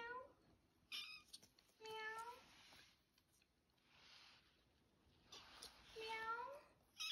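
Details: Kitten's first meows: three short, clear, tonal cries, each rising then falling, spaced a few seconds apart, with soft indoor background between them.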